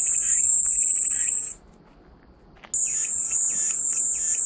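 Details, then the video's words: Calming cicada sound used as white noise. A piercing high buzz runs steadily, cuts out abruptly into near silence for about a second, then resumes just as loud. Faint pulsed chirping lies underneath. "마음이 평온해지는 매미소리"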